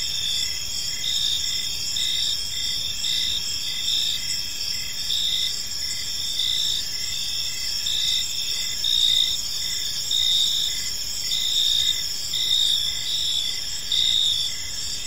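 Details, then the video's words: Evening cricket chorus in a quiet park. Several shrill, continuous trilling layers with short, bright chirps pulsing roughly every second. No other sounds stand out. "Cricket Sounds in a Peaceful Park"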